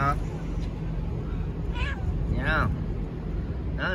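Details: Stray cats from a family of strays at lunch outdoors with a grandmother: three clear meows, each an arched, rising-then-falling cry, spaced about a second apart, over human voices and a steady low hum.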